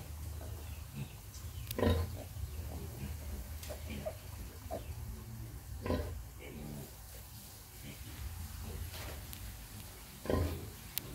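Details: Sow breastfeeding piglets; low, throaty grunts come in scattered groups, a few louder ones standing out among soft background rumbling and faint squeals.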